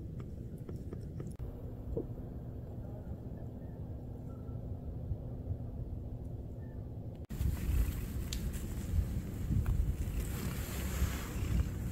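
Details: Steady low outdoor rumble with scattered clicks, then an abrupt cut to louder broadband noise; no animal voice is heard.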